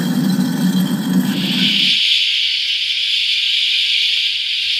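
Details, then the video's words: Periodical cicadas, part of the 17-year Brood X gathering in large numbers, their steady high hissing drone swelling to dominate the clip after an opening stretch of low rumbling noise. "Why Cicadas Are So Loud"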